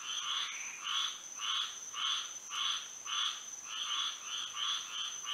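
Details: Frogs singing at night in Florida with moonlight, distinct raspy croak bursts spaced about half a second apart, clear pulsing rhythm, accompanied by an unbroken high-pitched hum.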